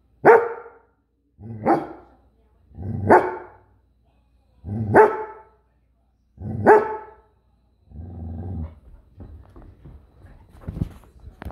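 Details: Goldendoodle named Farfel gives five loud single barks about one to one and a half seconds apart, followed by softer huffs and some faint knocking sounds.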